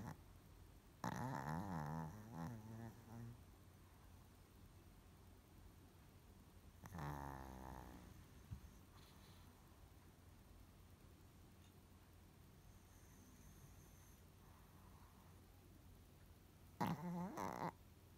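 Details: Kohaku the dog sleeping indoors gives three raspy, snorting snores, at the start, near the middle and at the end, separated by long stretches of soft steady breathing in a quiet room.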